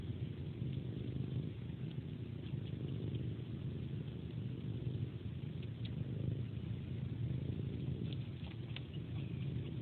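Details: Pet cat purring steadily as part of a bedtime ritual, sucking on a person's hand like a pacifier before sleep; a low, continuous rumble with faint soft sucking clicks scattered above it.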